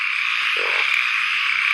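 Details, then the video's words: At daybreak after a night of heavy rain in the forest, a dense frog chorus is still going loudly, forming a steady, high, buzzing wall of sound with no breaks. "แจ้งมากก็ยังได้ยินเสียงเขียดห้องสนั่นอยู่"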